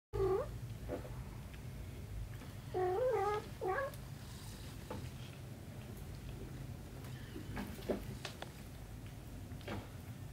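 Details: Mother cat with her kitten, giving short wavering meows: one brief call at the start, then a cluster of rising-and-falling mews around three seconds, with a quiet room hum and soft rustles in between.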